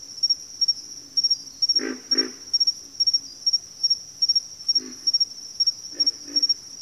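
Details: Backwater frog chorus: low, hoarse grunts in short double bursts near 2 seconds and again around 5 and 6 seconds, set against a loud, steady high insect trill pulsing in quick groups the whole way through.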